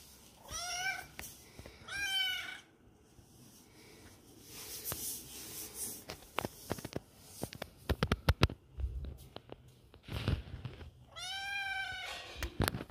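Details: Indoors, a kitten alone and searching for friends gives two quick arched mews at the start, then handling clicks and thumps fill the middle before a final drawn-out plaintive meow.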